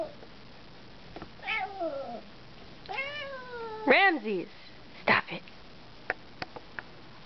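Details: Two domestic cats fighting: long wavering yowls that rise and fall in pitch, three drawn-out howls within four seconds, followed by a sharp hissing spit and a few faint clicks.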